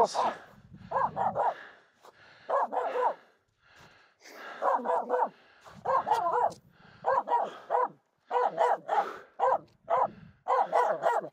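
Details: Barking Finnish Spitz female on a snow crossing during a mountain climb, upset by two reindeer walking nearby; bursts of three to four rapid sharp barks repeat with short gaps while a woman talks and pleads in the background.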